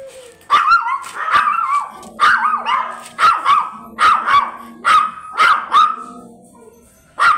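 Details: Blue Miniature Pinscher stud dog at Manaoag, Pangasinan: sharp, loud barks repeated about once a second, roughly nine in a row, some doubled, with faint music lingering underneath.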